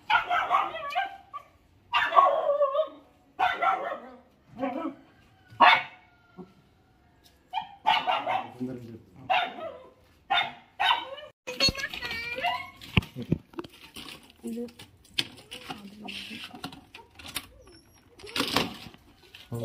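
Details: Lhasa Apso puppies, four in the litter, yap in quick bursts through the first half. Later the barks are mixed with music and a human voice, with a murmured 'hmm' and 'oh'.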